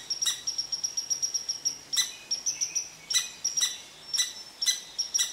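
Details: Red squirrel throwing an angry rant at an Eastern Cottontail resting under its favorite tree: rapid high pips repeated several times a second, broken by harsh broadband bursts.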